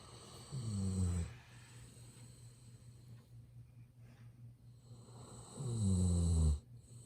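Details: Sleeping Golden Retriever Ibuki gives deep, droning snores filmed on a smartphone at close range. Two low, harmonic, buzzing inhalations arrive about five seconds apart, separated by soft, quiet breathing.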